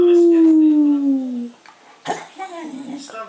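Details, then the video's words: Pet female Cocker Spaniel gives one long, smooth howl that slides steadily downward for about a second and a half, then fades into quiet, scattered background sounds. "The Howling Cocker Spaniel"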